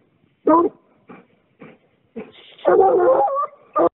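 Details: A young male Treeing Walker Coonhound pup, being conditioned for fall, shows off his angry-sounding tree mouth: sharp, rough barks mixed with a longer, wavering bawl.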